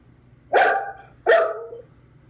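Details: Pet dog Clyde, distressed at being alone after his owner left for the post office, lets out two loud, harsh bark-like yowls, each sliding briefly downward, with a faint hum behind.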